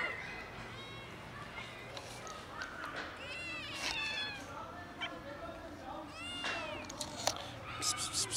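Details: Hungry cats in a colony, one making unusual sounds: several rising-falling wavering meows, some long and drawn out, over faint human speech and background noise.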